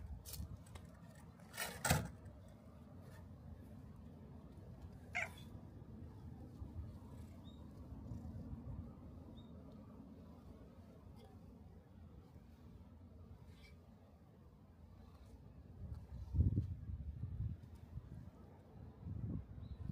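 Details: Black cat at a shrine, come out to the torii gate to greet visitors, gives a few brief, faint meows near two, five and sixteen seconds over a steady low outdoor rumble with scattered clicks.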